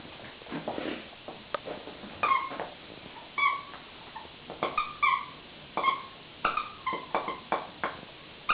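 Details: Poca, a pet dog, whines indoors in a small room: a run of short, high, nasal whimpers with tonal harmonics, repeated irregularly about every half second, while a person asks for a toy.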